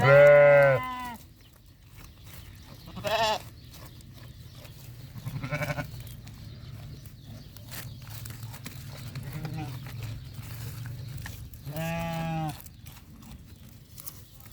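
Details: Sheep and goats bleating on a farm: several loud, wavering, harmonic bleats at the start, near three and a half seconds, near five and a half seconds and near twelve seconds, with a low steady hum and faint voices between them.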